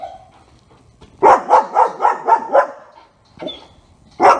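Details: German Shepherd Otto, a dog in training, gives a rapid run of about six loud barks at a steady quick pace, then a softer bark and a final loud one after a short pause.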